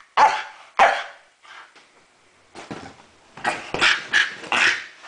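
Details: A Staffordshire Bull Terrier "talks" on the command "speak", giving short, gruff, bark-like yowls with a pause between two opening bursts.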